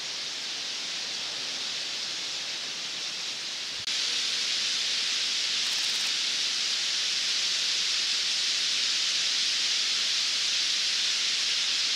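Steady broadband hiss like rushing water or wind, with no distinct animal calls standing out.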